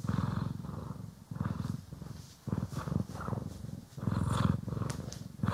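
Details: Purring of a pet cat, Poki or Kiwi, during grooming and brushing in stereo; deep steady rumble swelling and fading in breath-length phrases, a few light scratchy brush sounds on top.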